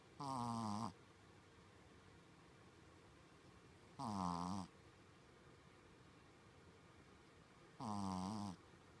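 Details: Shih Tzu dog asleep and snoring much like a person, three harsh, buzzing inhaled snores at steady intervals of about four seconds, near silence between them in a quiet room.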